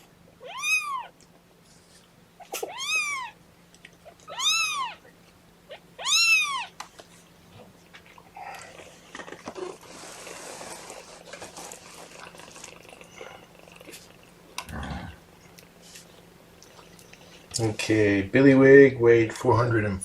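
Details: Kitten from Mama Seraphina's litter of four, objecting to being pottied before its weigh-in indoors: four high, arched, clear meows spaced about two seconds apart, then soft rustling and handling noise, with a human voice speaking at the end.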